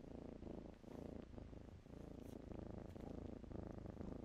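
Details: Kittens playing in blankets purr steadily: a low, rumbling, continuous throb with a fast pulsing beat and no pauses, in a quiet indoor setting.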